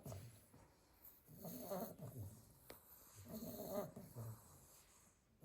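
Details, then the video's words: Pile of eight sleeping Staffordshire Bull Terrier puppies, two soft wheezy snores with low rumbling breath between them, faint background hiss. "Snoring sleepy pile of staffy puppies"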